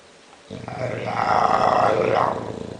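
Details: A bulldog snoring in its sleep: a single loud, rough, rattling snore that swells and holds for about two seconds after a quiet start.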